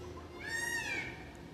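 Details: A ring-tailed lemur (Lemur catta) gives a single high, cat-like mew that swells and then trails off.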